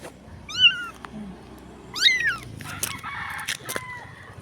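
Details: Dirty stray street kitten, very small and barely able to walk, crying for help: two high, bending meows about a second and a half apart, then scattered clicks and rustling.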